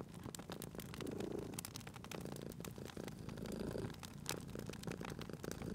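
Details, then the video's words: Cute sleeping cat purring near a crackling fire; two slow, swelling purr phases rumble low and pulsing, interlaced with dense clicking and popping from the burning logs. "Cute Purring Cat at a Crackling Fireplace"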